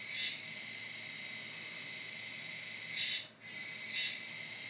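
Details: Autumn cicada Kuroiwa tsukutsuku holds a continuous high, hissing buzz with a brief swell and drop-out near the end. The sound resembles "juwa, juwa", and the cicada can be heard until around November.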